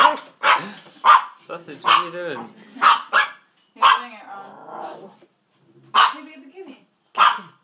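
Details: Pet dachshunds Sausage and Weenie bark repeatedly during a scene of chasing the kitty, sharp yaps mixed with a woman's urging voice between them.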